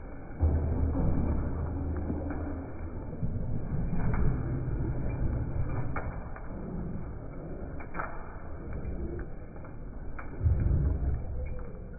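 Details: Low thumps and rumbling handling noise under a steady electronic hum, with no animal voice.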